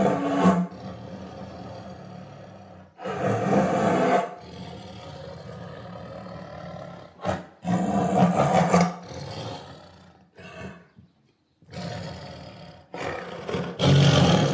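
A tiger gives deep, rasping roars in several loud bursts separated by brief pauses.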